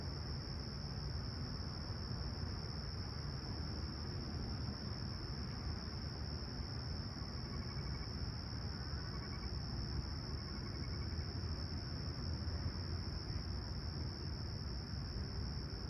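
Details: Crickets chirping at sunrise on a clear, calm summer morning at Humber Bay Shores, Toronto, on 28 July 2020, about 20ºC; a steady high continuous trill over a heavy low rumble of distant traffic, with a few faint higher chirps midway.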